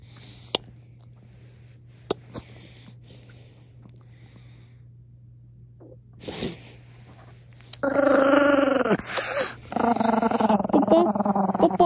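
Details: A Maltese dog, angry after being kissed, stays quiet at first apart from a few soft clicks and knocks. Near the end it breaks into a loud, harsh, snarling growl that lasts about four seconds with brief breaks.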